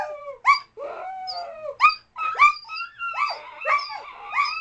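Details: A dog howling in long wavering tones, mixed with short rising yelps and whimpers repeated about every second, voices overlapping as if more than one dog.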